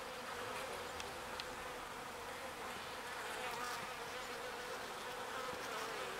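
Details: Foraging bees bringing pollen home to the hive make a thick, level buzz that never pauses, overlapping wingbeats blending into one steady drone with scattered soft clicks.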